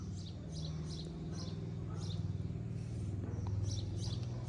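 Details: Street cat in Morocco, jealous and seeking affection. A steady, low pulsing purr runs throughout, with faint scratchy ticks above it.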